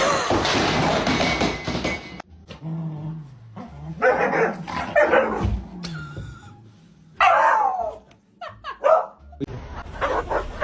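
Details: Dog in a comical scene, giving several sharp, tonal barks and yips spread over the recording, mixed with steady background noise and voices.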